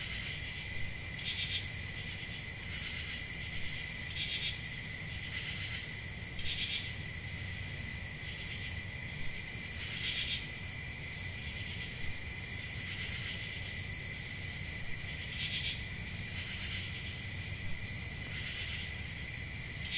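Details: Crickets calling through a summer night sustain a high even trill for twenty seconds, punctuated by repeated brief louder bursts every one to two seconds, with a steady low rumble beneath.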